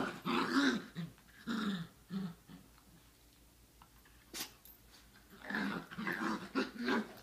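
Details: Growling from three Chihuahua mixes: rough throaty rumbles in rapid pulses, a quiet gap, a single sharp yip, then another burst of harsh snarling growls.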